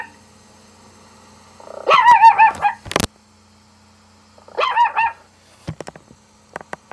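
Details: Pet dog reacting to another dog barking from a laptop: two bursts of drawn-out, wavering yowl-like barks about three seconds apart, with a sharp knock between and faint clicks afterward over a quiet indoor hum.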